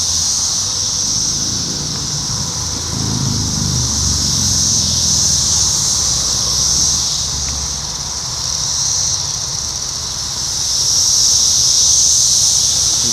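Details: Evening chorus of 17-year periodical cicadas, Brood X, near a McDonald's in Sharonville, Ohio, June 2021. An unbroken high-pitched hiss dominates and pulses in intensity, while passing traffic rumbles low underneath.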